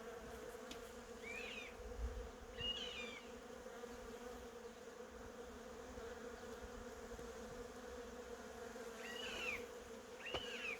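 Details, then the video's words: Continuous low, even drone of honey bees at cherry blossoms, with four brief twittering bird calls, two early and two near the end. "벚꽃과 꿀벌소리"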